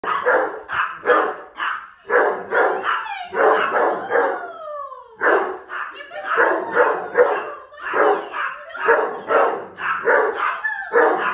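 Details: Pet dogs at home, a Rhodesian Ridgeback and a Yorkie, react rudely to a visiting girl. Deep harsh barks come in rapid bursts with short gaps, mixed with sliding, whining howl-like glides that fall in pitch midway through.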